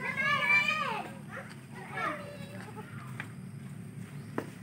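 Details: Baby goat asking its mother for milk: one loud, quavering bleat sliding downward in the first second, then softer wavering calls, with faint human voices in the background.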